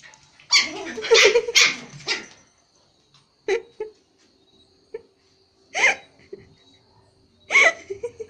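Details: Toy Pomeranians playing with a Japanese Spitz at home in Kathmandu, Nepal: a run of loud, rough barks in the first two seconds, then short sharp single yaps spaced a couple of seconds apart, with quiet gaps between.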